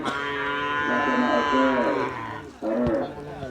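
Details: Cattle at a Kerapan Sapi bull race on Madura, East Java, Indonesia: a drawn-out harmonic moo sustained for about two and a half seconds, a short break, then a second shorter moo, with crowd voices behind.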